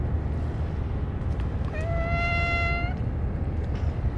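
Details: Stray cat at a feeding where only churu treats were given, Kalkan and dishes forgotten; a single drawn-out, level meow lasting about a second against constant low-pitched outdoor rumble.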